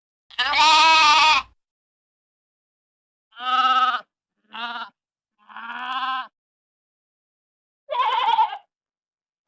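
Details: Sheep and lamb bleats: a long quavering baa followed by several shorter, nasal, tremulous calls of varying pitch, separated by brief silences.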